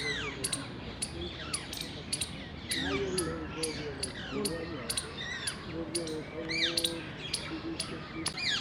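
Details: Indian palm squirrel chirping during mating in the wild, 19 February 2021: sharp, clicky chirps repeated about twice a second, mixed with quick descending whistled sweeps, while people talk in the background.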